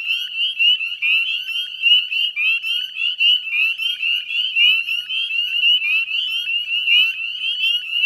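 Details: Dense dusk chorus of northern spring peepers at the Chezzetcook salt marsh, Nova Scotia, on 18 May 2020; countless short, high, upslurred peeps overlap into an unbroken ringing wall of sound.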